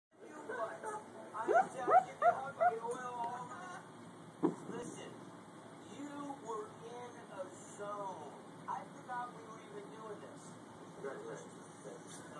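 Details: A sleeping female Vizsla puppy gives muffled, squeaky yips and soft woofs; she often makes these murmured squeaks for long periods while asleep.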